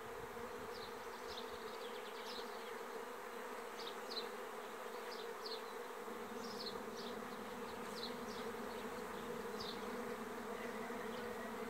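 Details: Lithuanian honey bee swarm on 27 May 2016: an unbroken, level buzzing drone, overlaid with repeated short high bird chirps scattered across the background.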